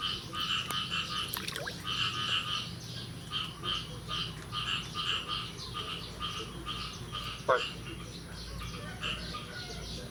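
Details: Frogs call in a steady chorus of rapid, pulsed croaks repeated over and over, on the morning of 9 May 2022 after the first rain of the year.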